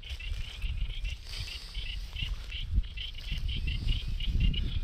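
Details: Many western toadlets call all around at the southern end of Dumbuyung, a chorus of short, high, clicking notes repeated rapidly from many directions; they fall silent when disturbed by nearby noise.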